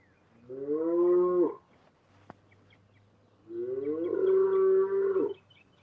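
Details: Cows mooing outdoors; two long, resonant moos, each about a second long, the second swelling then holding a steady tone, separated by a short pause over a low steady hum.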